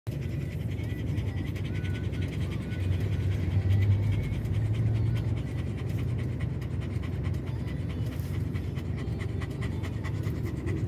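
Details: Owchin, a dog stressed by noise outside while a tyre is changed, pants rapidly: quick breathy huffs, about three per second, over a steady low rumble.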